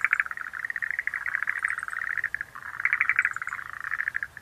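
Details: Rhacophorus schlegelii frogs giving rattling, pulsed calls that run almost continuously with one brief pause, and scattered faint high-pitched chirps in the background.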